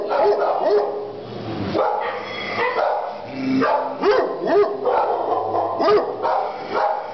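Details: Emily, a terrier pit bull up for adoption, gives short yelping barks and rising whines, several spaced bursts across the clip, with speech and room noise throughout.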